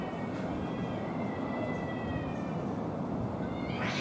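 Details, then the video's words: Male cats fighting over a female give a faint, sustained yowl that holds a steady, wavering pitch for most of the clip. A burst of hissy noise comes at the end, over a constant low rumble. "メスの奪い合い 猫の大喧嘩"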